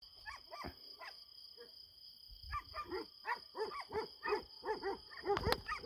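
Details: Kangal dogs on a farm at night, cornering some unseen animal far off, filmed with a night-vision camera: a few scattered barks, then from midway a fast run of hoarse, harmonic barks about every third of a second.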